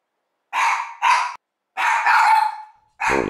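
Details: Year-old Mameshiba guard dog barking hard through an open window at an empty street as cooler weather arrives; four loud rough barks, two short, then one long trailing bark, then a fourth beginning.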